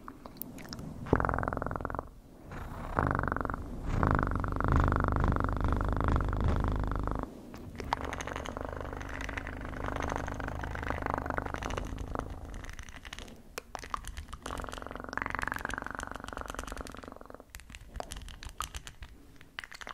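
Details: A pet cat purring in an ASMR recording, a continuous low pulsing rumble that swells and fades, mixed with crackling, chewing-like and rustling noises close to the microphone.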